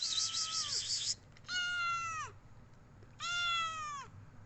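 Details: Pet cat wanting attention gives three clear, drawn-out meows spaced about a second apart, each holding steady and then dropping at the end, over a quiet room hum.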